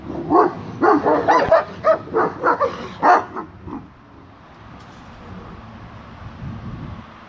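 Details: Tibetan Mastiffs Jenpah and Zeus on watch over their property, giving a rapid run of about nine loud, rough barks in the first four seconds before the barking fades into quiet outdoor background.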